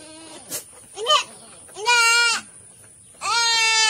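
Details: Goat during a health check in Sambas, giving four wavering, nasal bleats, two short then two long and loud, with quiet pauses between.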